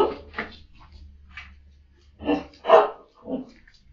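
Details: Samoyed dog vocalizing in the morning to wake its owner, a series of short, harmonic, talkative woofs and groans in irregular bursts, with a low steady hum underneath.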